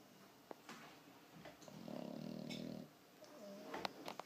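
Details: A 4-month-old French Bulldog puppy in deep sleep snores loudly in a low, rasping rumble with a soft buzzy tone.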